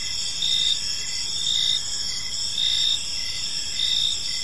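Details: Evening park crickets keep up a continuous shrill chorus, louder bursts returning about every second, layered high tones with a soft rumble underneath.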